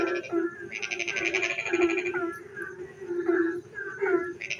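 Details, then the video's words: Rain-night frog singing, opening with a long rasping pulsed trill, then a run of short, resonant low croaks and bubbly upward-bending notes, another trill starting at the very end. "frog singing in the dark night when it rains"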